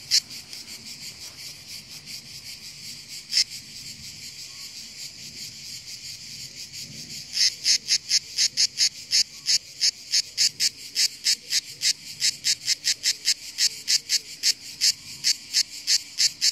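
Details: After about seven seconds of soft hiss broken by one click, a well-camouflaged hillside cicada starts its song: rapid, loud, high buzzy pulses in a fast even series, continuing strongly to the end.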